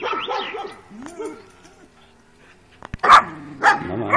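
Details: Working-type Kuvasz puppies, two 12-week-old females, on their first street walk on 28 April 2017. A second of wavering, whiny yelps opens, followed by quiet, then three short, sharp barks, one of them loud.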